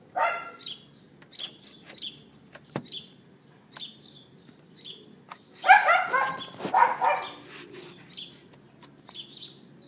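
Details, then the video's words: Neighbour's dog left outside, recorded on an iPhone 4S on April 18th 2012 at 11:31 AM: a short yap at the start, then a burst of sharp barks around the middle, with bird chirps scattered throughout. "Dog Yapping"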